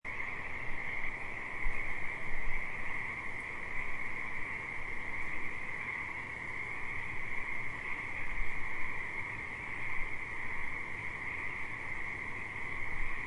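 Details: Frogs calling at a river: a dense, unbroken chorus of buzzy trilling at two steady pitches, one high and one lower, sustained for the whole stretch over a deep rumbling background, likely moving water.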